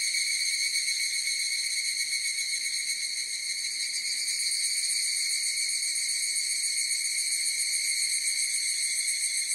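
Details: Dense higurashi cicada chorus, an unbroken bright shrilling tone with layered high overtones and a faint fast flutter, steady in volume throughout.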